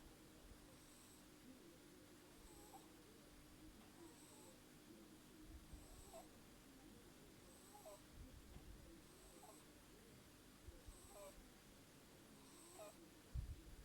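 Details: Kira, an 8-week-old Burmese kitten, snoring softly: faint whistled squeaks with airy hisses recur about every one and a half to two seconds over a steady low hum.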